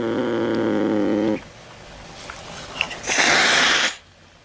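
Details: Cat sounds meant to frighten rats: a low, steady, droning yowl lasting just over a second, a quiet gap with faint clicks, then a sharp breathy hiss of almost a second.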